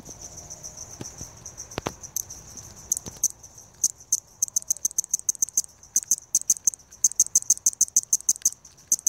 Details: Balloon-winged Katydid (Tympanophora andreae), call.